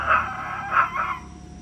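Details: Chihuahua named Val crying: three short, high whining cries, two close together near the start and a softer third, each a bright harmonic wail that fades out, with a quiet room behind.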